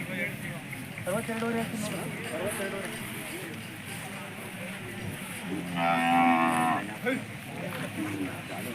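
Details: Hallikar cattle at the large cattle fair of Turuvekere taluk, a jodugatte market: one drawn-out, harmonic moo rises out of steady crowd chatter near the end, with other livestock and people's voices all around.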